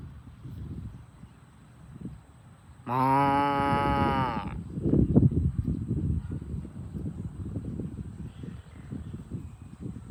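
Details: A farm cow being herded to the barn gives a single deep, harmonic moo that swells and holds for about a second and a half over low rumbling, thudding and scuffling, like hooves and movement outdoors.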